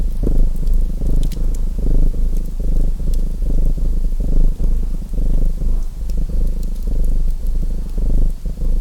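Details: Low, throbbing purr of a domestic cat, uneven in rhythm and partly blended with a fireplace whose crackling pops and soft hiss are more noticeable here.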